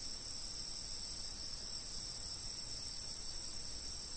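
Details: Dense, unbroken insect trill, very high and even, filling the whole stretch without pauses, with steady low background noise beneath.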